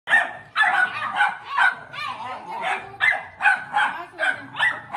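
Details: Two American Pit Bull Terrier puppies play-fighting: a rapid string of high, yappy barks and yips, about two per second, irregular, with bursts overlapping through the whole stretch.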